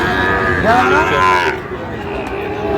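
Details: Sahiwal bull calf at a cattle market in Comilla, 13 November; a short, higher-pitched bellow that bends up and then falls, heard under bargaining voices calling out prices.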